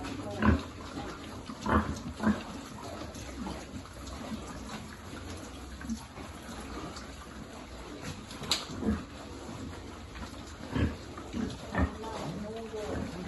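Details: Piglet being fed on a pig farm, giving short low grunts in scattered bursts, a few louder snorts near the start and end, over a steady background hum.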